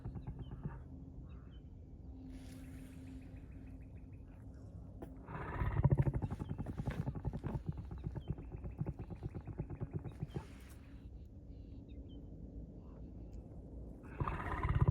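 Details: Lion roaring: a deep, rumbling run of pulsed grunts builds up around the middle and fades over several seconds, with more low throbbing at the end. Quiet outdoor background throughout.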